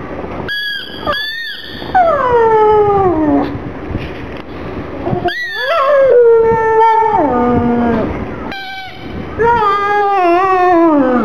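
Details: Black pug Gong Fu cries for a little ball, sad. Long drawn-out howling whines slide downward from high to low pitch, with a warbling, quavering cry near the end, separated by brief pauses.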